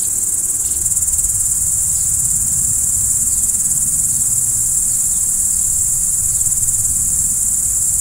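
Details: Night-time crickets keep up a dense, unbroken high trill at constant loudness, over a gentle low-pitched murmur.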